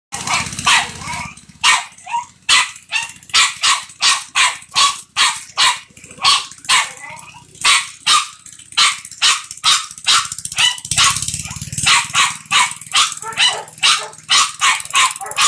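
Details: American Bulldog playing, giving a steady stream of breathy, huffing bursts, roughly two each second, interrupted by a few short pauses, with a low hum underneath.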